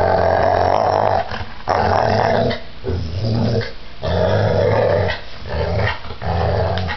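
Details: Violent attack by a giant pit bull: heavy, rasping growls rising and falling in waves of about a second or two, with short lulls between them.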